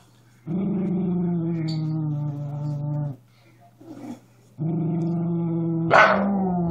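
A Miniature Schnauzer growls in two long, low, rumbling stretches with a brief pause between.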